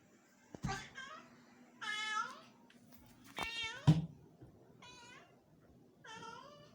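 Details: Pet cat indoors in Bangalore, eager to play with a house lizard, letting out five short plaintive meows, some with an upward then downward bend, mixed with thumps and bumps nearby.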